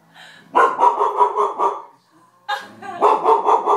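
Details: Goldendoodle puppy barking indoors at a raccoon shown on TV: two bursts of rapid, high, yappy barks in quick series, separated by a short pause.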